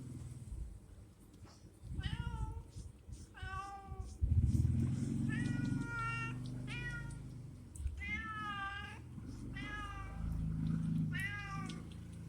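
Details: Repeated meowing from a cat waiting at a warung while offered food: clear harmonic cries, several long and slightly wavering, coming every second or so over low background rumble and movement noise.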